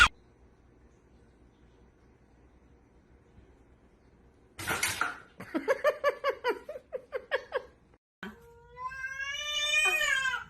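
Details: Domestic cat indoors in a small room: after several seconds of near silence comes a sharp bang, then a quick series of short chattering harmonic notes, ending in a long, drawn-out meow that rises and then falls in pitch.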